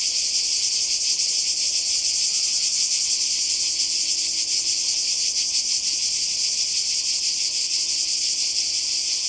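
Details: Cicadas by the sea in Croatia in summer 2020 fill the air with a dense, unbroken high-pitched buzz, steady in loudness with a faint rapid pulsing throughout; no other clear sounds.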